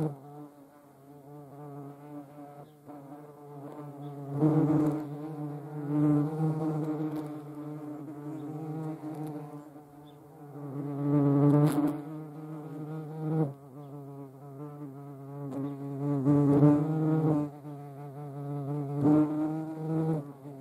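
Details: A European hornet (Vespa crabro), filmed in front of the camera in the Eifel region of Germany, makes a deep, droning wing buzz that swells and fades as it flies close by.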